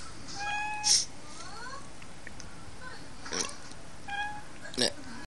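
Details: Pet cat Pon-chan meowing in answer to a sneeze: two short, level, clear-toned meows about four seconds apart, each near a sharp burst of sneezing, with a quiet indoor background.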